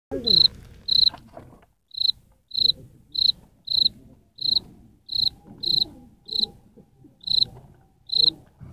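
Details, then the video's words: Cricket chirping: short, clear high-pitched pulses repeated about every half second, slightly irregular, with faint low rustling and handling noise underneath. "Como. Cantan. Los. Grillos"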